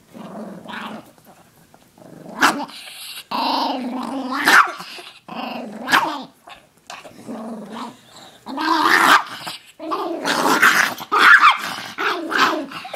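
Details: Interrupted while relaxing, Koda the Chihuahua alternates grumbling, wavering growls with sudden sharp barks and yips, the sounds coming in irregular bursts with quiet gaps between.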